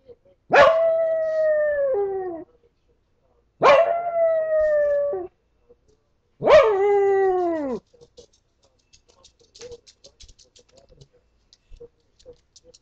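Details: A house dog left to itself, as it believes, lets out three drawn-out howls, each about one and a half to two seconds long, breaking sharply at the start and sagging lower at the end, followed by quiet scattered clicks.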